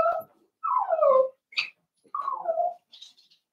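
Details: Whimpering from young blenheim Cavalier King Charles Spaniel puppies, one of a litter of five born to Paris and Spike at New Year's, in an indoor puppy pen: drawn-out, falling, whiny cries with short yips between them.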